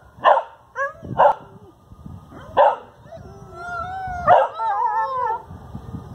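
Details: Several dogs in a backyard howl in response to sirens: a few short, sharp barks open, then long wavering howls with sliding tones overlap and rise and fall for about two seconds.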